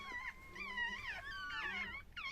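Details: Chihuahua birth scene with a continuous wavering whine, pitch bending up and down across two seconds, ending in a sharper rising squeak.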